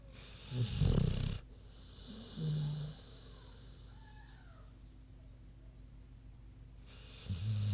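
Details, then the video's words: Low, rattling snores from Queenie, a big sleeping pig: one loud snort, a short soft grunt, then quiet until the next snore starts near the end. "Big Pig Snoozin' (HD Queenie Snoring Audio)"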